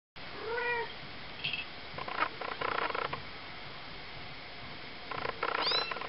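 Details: Three-week-old Ocicat kittens from a litter of four (black silver, chocolate and tawny females, tawny male): a short, thin, wavering mew near the start and a higher rising squeak at the end, with rustling and scratching noises between.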